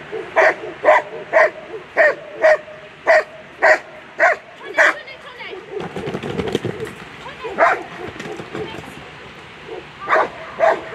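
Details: German Shepherd competing at a world agility championship barks loudly and rapidly, about two barks a second in a steady run, pausing briefly amid crowd noise before barking again.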